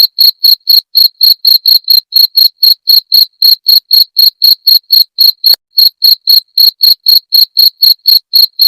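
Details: Cricket chirp sound played to repel rats, tagged jangkrik genggong. Bright, shrill pulses come about four per second in an even stream, with one short gap just before six seconds. Background otherwise silent.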